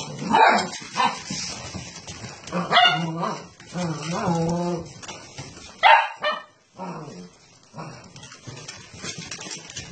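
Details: Basset hound puppies barking and yipping, a few sharp bursts and short harmonic yelps spread over ten seconds, with quieter whines between and a person talking in the background.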